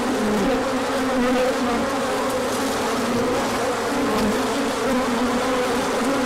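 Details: Large bee orientation flight when the sun emerged after colder weather; a steady overlapping buzz of many wings, low hum wobbling up and down in pitch.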